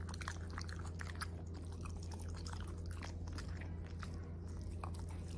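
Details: Corgi dog chewing food in a meal that includes steak, broccoli, blueberries, choy sum, asparagus, tripe and pumpkin: rapid moist clicks and crunches over a steady low hum.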